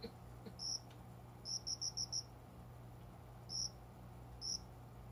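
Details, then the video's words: Cricket in an indoor window-side plant spot at dawn in summer; a quick run of five high pulses, then isolated single chirps, with a faint click at the start and a constant low hum. "虫の鳴き声 この虫の声は鈴虫のかな？コオロギ？"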